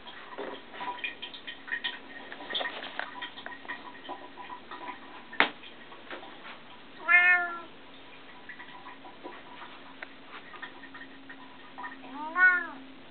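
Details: Two meows from a pet Bengal cat indoors, around seven and twelve seconds, each a short arched harmonic cry, preceded by clicking and tapping sounds with a steady low hum throughout.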